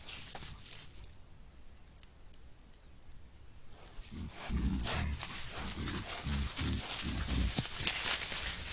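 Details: A herd of wild boar foraging for food, caught by a camera trap in Foreste Casentinesi National Park, Italy, gives low, rough grunts and snorts in quick, uneven bursts over a background hiss.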